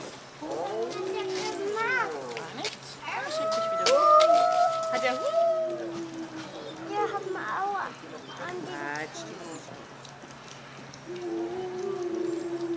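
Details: Timber wolf pack, the leader using squeaky whines and behaviour to get the others ready to howl; high chirping squeaks with stacked overtones break into several steady, drawn-out howl notes, then more squeaking and a low held tone.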